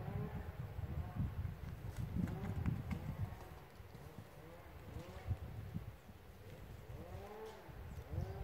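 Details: Red deer in rut at OHZ Nadleśnictwo Lądek Zdrój: rumbling low roars with bursts of curved, groaning notes, and a fresh sequence of arched moans in the last seconds over faint clicking.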